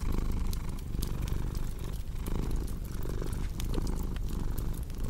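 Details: Deep, continuous purring from a cat, pulsing gently with its breathing, set against the bright intermittent crackle of a wood fire.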